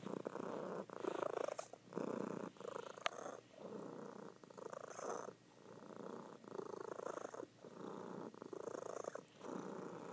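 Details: Sleeping female cat purring loudly indoors; throaty rumbling pulses of about a second each, continuing with each breath, faint clicks in between.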